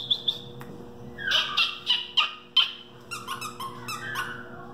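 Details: Male Westie puppy, two and a half months old, pedigreed, whimpers in quick pulses: high thin whines repeated about every third of a second, then softer broken squeaks trailing off.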